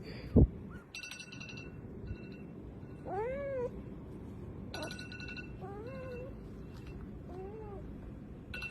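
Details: Kittens meowing amid background music: several rising-then-falling mewing calls with harmonics, one longer arched meow near the middle followed by shorter ones, plus light clinking sounds.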